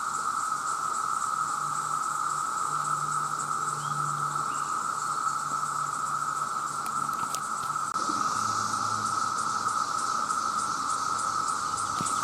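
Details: Loud, continuous droning of massed male cicadas calling for mates, a sustained shrill buzz with faint pulsing above it and a few brief clicks near the middle.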